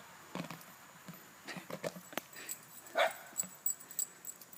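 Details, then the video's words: Dogs at play, one giving a single sharp, bright yip partway through, surrounded by faint scuffles and soft thumps of movement. "Dogs playing"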